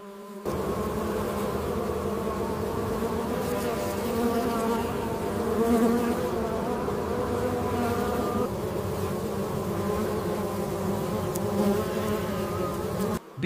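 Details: Dense, steady buzzing of many honey bees from a large managed colony at a commercial honey operation, a continuous low droning hum with layered harmonics holding for about thirteen seconds without pause.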